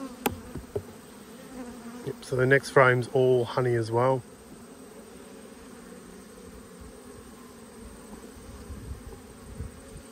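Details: Autumn honey bee colony buzzing during a hive inspection across twelve hives, where one colony had swarmed and made a new queen; a few seconds of a man talking, then a long, faint, steady low hum of bees continues alone.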